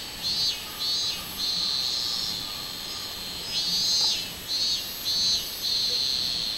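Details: Robust cicada (minminzemi) recorded on 24 July 2016, singing a high, buzzy pulsing drone with loud surges recurring about every half-second to second, over a faint steady hiss.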